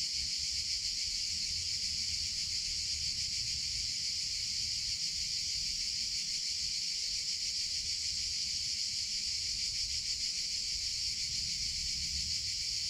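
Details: Constant, intense whirring of cicadas in summer, an even shrill buzz sustained over the whole stretch, with a quiet low background rumble.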